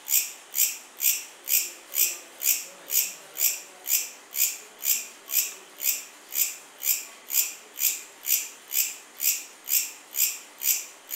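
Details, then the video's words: Regular high-pitched cricket chirps, around two per second, each pulse short and shimmering, continuing evenly throughout against a soft background hiss. "Cricket Sound | Cricket Chirping"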